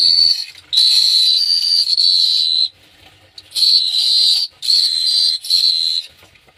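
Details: Cricket chirping at night in Phteah Prey: loud, shrill, high buzzing bursts of one to two seconds, each with a slight wavering in pitch, separated by quieter pauses, with some faint low background noise.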